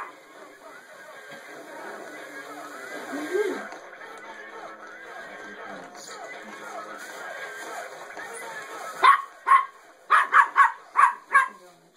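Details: A puppy barking in agitation at a singing penguin toy when its button is pushed; toy music and voices fill the first nine seconds, then about six sharp, loud barks come in quick succession near the end.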